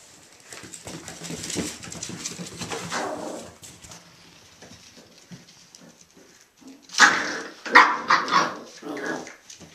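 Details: Three male Irish Jack Russell Terrier puppies, Mushroom, Portobello and Patty, playing indoors: scuffling and soft thumps for several seconds, then a quick burst of sharp, high yips and short barks near the end.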